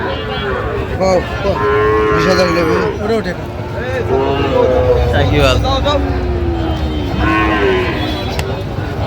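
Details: Sahiwal bull calves and other cattle at a busy Chattogram market on 31 October 2025, while farmers bargain. Several animals moo in overlapping, drawn-out calls, some rising and falling, beneath steady crowd chatter and market din.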